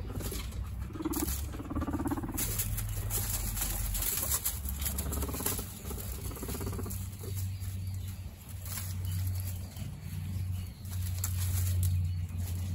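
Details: Male guinea pig siblings squabbling over dominance: an early short whining squeal, then a long vibrating low rumble pulsing on and off, with bedding rustle and patter of feet.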